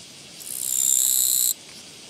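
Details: A single buzzy burst from a Japanese katydid encountered on a walking path, 24 August 2017: a rasping, pulsed trill lasting just over a second that builds quickly to full loudness, then stops abruptly against a soft hiss.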